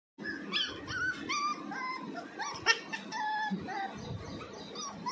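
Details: A Pomeranian puppy trying to bark for the first time gives thin, squeaky yips that rise and fall.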